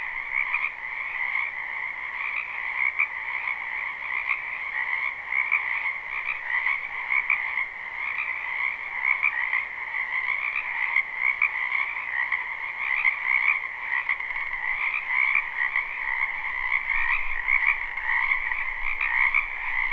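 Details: Dense croaking from numerous frogs in a wetland during spring, recorded live without looping; the massed trilling calls form a steady, shimmering wall of sound with faint pulsing.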